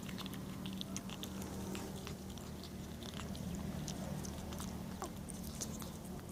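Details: Kitten in Athens, Greece, eating and making funny noises: a dense run of crisp chewing and crunching clicks over a steady low hum or murmur throughout, indoors, with no other animals or voices.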